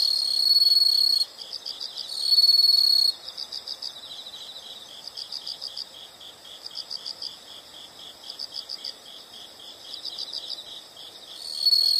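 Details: Insects in a nature sound recording: loud high buzzing bursts at the start and end, with between them a quieter chorus of rapid, regularly pulsed chirps repeating steadily.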